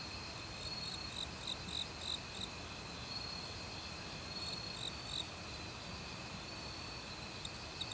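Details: Forest crickets in autumn, joined by assorted other insects: rapid pulsed chirps repeated several times a second over steady shrill ringing, with recurring very high buzzy bursts roughly every one and a half seconds, all over flowing valley stream water.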